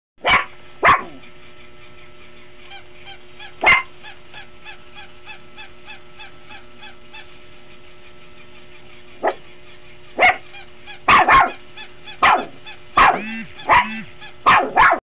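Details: A Shih Tzu puppy playing with a dog toy gives sharp, high yapping barks and yelps, with rhythmic toy squeaking between bursts.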